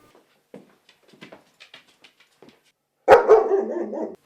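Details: Female German Shepherd dog guarding her home against perceived danger: after soft indoor sounds and faint speech, one loud, rough bark runs straight into a drawn-out growling tail lasting about a second.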